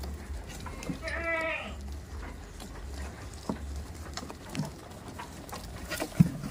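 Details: A single wavering goat bleat early on at a goat farm, followed by quiet shuffling, thumps and a low background hum.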